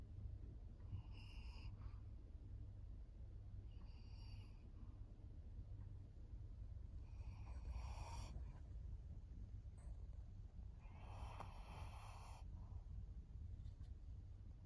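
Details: Senior fawn pug Maria, a fourteen-year-old female kept as a pet in Japan, August 2024: a series of five or so short rasping snorts and snoring breaths spaced a few seconds apart, over a constant low indoor hum.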